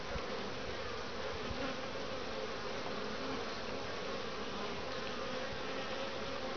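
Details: Many honey bees buzzing at the entrance of a top-bar hive in Lynchburg, Virginia, returning with grey and some orange pollen during a warm 60°F spell in February; an unbroken, droning hum throughout.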